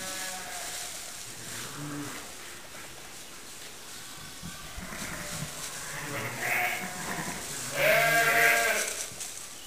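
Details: A lamb a few days old romping in the hay, giving a short wavering bleat near the seventh second and a louder, longer harmonic bleat around the eighth, over a hissy barn background with faint rustling.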